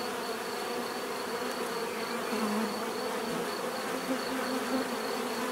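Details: Dense buzzing of bees with a constant hum and brief louder swells as individual bees pass close, no other sounds present.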